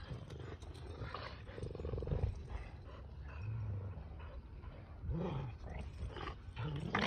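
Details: Sully the Boston Terrier and Kumo the Keeshond tug at their favorite toy in play, giving deep, drawn-out roaring growls in several surges, some with a harmonic, throaty tone, amid shuffling noise.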